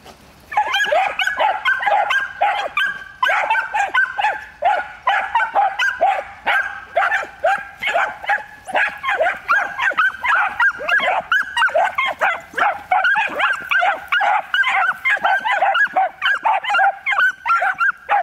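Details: Sustained, excited barking from three one-year-old miniature wire-haired dachshunds, one black-and-tan male, one black-and-tan female and one light wild-boar coloured, during hunting training; high yaps rattle out continuously, roughly two per second, barely pausing.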